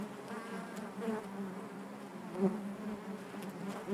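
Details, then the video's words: Honey bees humming within their hive: a low, even drone with harmonic bands, punctuated by a couple of brief, louder close buzzes, the last one at the very end. "bees therapy hive natural buzzing sound"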